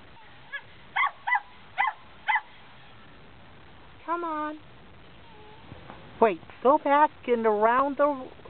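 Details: Female dog stuck under an old family porch on a cold day while her owner tries to coax her out: four short sharp yips, a held whine, then rapid rising-and-falling whining yelps, with a person's voice between.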